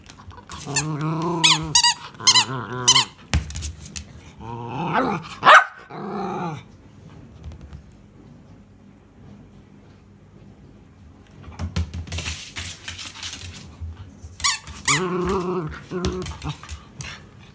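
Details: Miniature Schnauzer demanding that a ball be thrown mixes squeaky whines, grumbling growl-like noises and short barks in bursts. A quiet stretch of several seconds falls in the middle before another burst of whining and barking.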